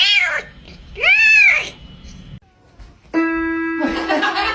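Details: Domestic cat giving two loud arching meows, each rising then falling, about a second apart, followed by a short quiet gap and then a steady sustained musical tone with noisy clatter.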